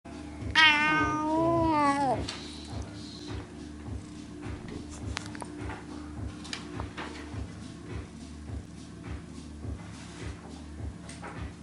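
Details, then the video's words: Pet cat yawning in a window, giving a drawn-out voiced meow lasting over a second that slides downward in pitch, followed by quiet, with a steady rhythmic ticking or thumping in the background. "Cat Yawning"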